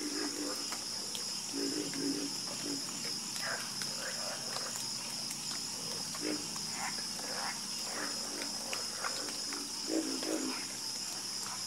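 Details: A frog chorus of harmonious croaking, with low, short, knocking croaks repeated in loose groups that sometimes rise slightly in pitch, layered over an unbroken high insect whine.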